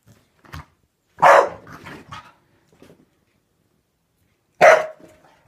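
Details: Staffordshire bull terrier indoors attacking and eating bubbles, giving two loud, sharp barks about three seconds apart, each followed by softer huffs and snorts in a quiet small room.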